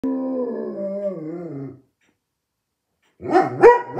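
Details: German Shepherd named Kenny making a bit of noise: a drawn-out, wavering howl with rich harmonics lasting nearly two seconds, dropping slightly in pitch, then a pause and a short, rough burst of barking yelps.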